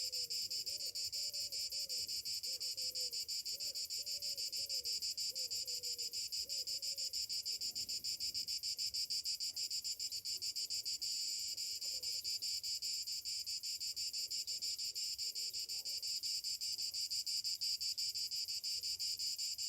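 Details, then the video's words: Summer morning chorus of cicadas, a steady high-pitched rasping buzz made of very rapid pulses, unbroken throughout, while soft low whistles drift in during the first seconds. "Morning summer cicadas sounds"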